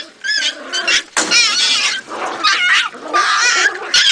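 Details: Jagdterrier squealing and yelping almost continuously, with shrill, wavering cries that waver up and down, broken by short breaks and a few sharper barking bursts.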